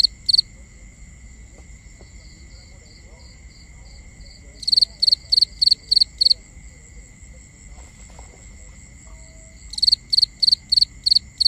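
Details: Crickets heard at night in binaural recording: groups of rapid shrill chirps separated by a softer, slower high pulsing, continuous thin insect drone and low rumble underneath.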